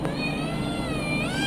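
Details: Male pet cat begging for milk in a home kitchen, one long sustained meow filling the whole moment, rich in overtones, holding level then bending upward near the end, over a constant low background hum.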